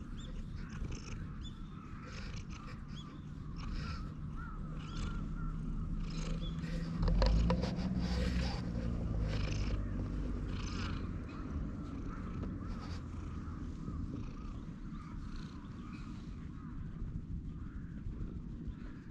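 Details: Stray cat relaxing on a bench purrs with pleasure while being stroked, filmed on a GoPro HERO8. A steady low rumbling purr runs throughout and swells around seconds seven to ten, with faint bird calls and outdoor hiss behind.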